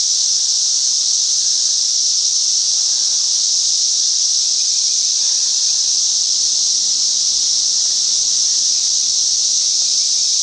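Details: A cicada gives a loud, unbroken, high-pitched buzzing drone that holds steady throughout, recorded in a Chicagoland back yard during a great cicada emergence.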